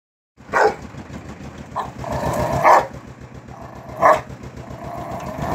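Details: Angry dog barking: four sharp, harsh barks spaced irregularly, about a second apart, over a steady low rumble of a running vehicle.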